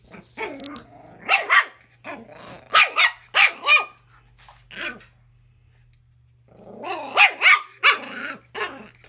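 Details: Schipperke dog with a chicken, giving rapid, rough, high-pitched barks in quick clusters of three to five, a short gap, then another lively string of yappy barks.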